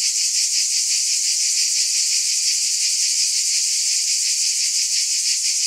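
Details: Many cicadas buzzing together in an unbroken, bright electric hum, lightly pulsed and even in volume from start to end.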